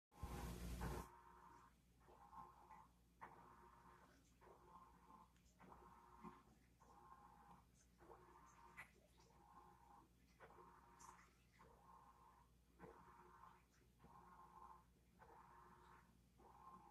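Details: Captive grey tree frog named Kermit in a misted glass tank, puffing his throat to give mostly mating calls; faint buzzy pulsed trills repeated about once a second, after a brief loud burst of noise at the start.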